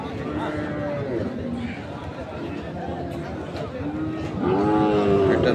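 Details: Sahiwal bull calves at Ambari livestock market, Parbatipur, Dinajpur, Bangladesh: several wavering lowing moos, dipping and rising, with a louder moo near the end, amid crowd chatter and market bustle.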